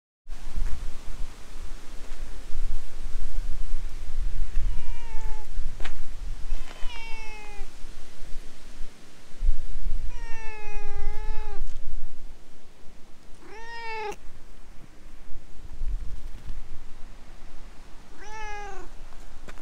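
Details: Stray cat talking in cat language before being petted and climbing onto a lap; five drawn-out, wavering meows spaced a few seconds apart, some rising then falling, over a steady outdoor hiss with a faint rumble.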